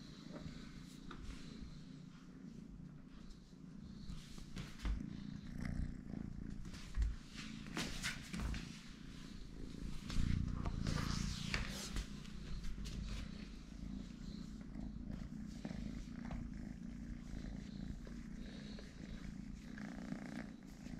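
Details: Continuous deep purr from the small kitten Totoshka, a low vibrating rumble sustained for about twenty seconds, swelling slightly at times, with intermittent rustling and light handling noises over it.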